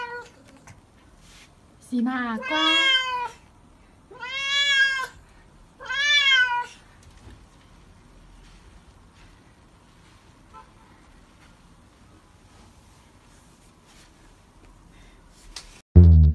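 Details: Cat reacting to bathing, with three plaintive, rising-then-falling meows about two seconds apart, then a long quiet stretch ending in a sudden bump.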